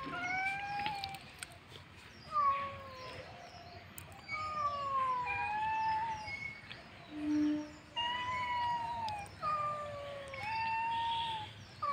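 Domestic cats trade drawn-out, wavering yowls, rising and falling in overlapping bouts during a fight.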